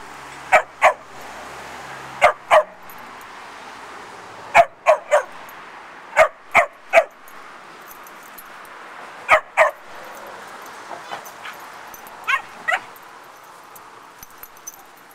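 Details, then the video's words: Two young dogs, a puppy and a foster pup, barking while playing: sharp high yaps, often in quick pairs, scattered irregularly through the clip, with fainter yips in between over a quiet background. "Dogs Barking and Playing"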